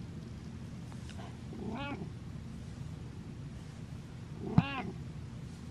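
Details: Male domestic cat meowing while following his owner; two short, clear harmonic meows about three seconds apart, the second slightly stronger, over a low steady indoor hum.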